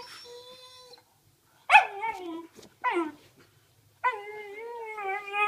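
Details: Ibizan Hound (Podenco Ibicenco) puppy at play: a long steady nasal whine, then sharp yelps that rise and fall steeply, then a wavering, howl-like whine held to the end, with a brief silence between bursts.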